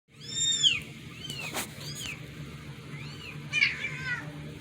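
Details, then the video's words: Domestic cats freaking out over a strange meow; several drawn-out, arched, harmonic meows, the last one rising and wavering, with a faint low hum beneath. "Cats freaking out over strange meow"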